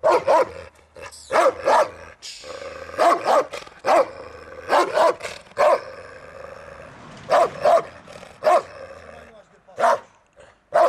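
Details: Central Asian Shepherd Dog (Turkmen Alabai) barking during a territorial guarding instinct test: deep, loud barks in quick pairs and triplets with short pauses, a faint voice in between.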